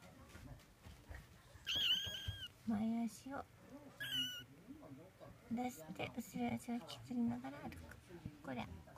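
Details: A 21-day-old Munchkin kitten learning to walk, indoors in a small room: thin, high, bending mews come at intervals, with several short cries between about two and eight seconds, while a person talks softly throughout.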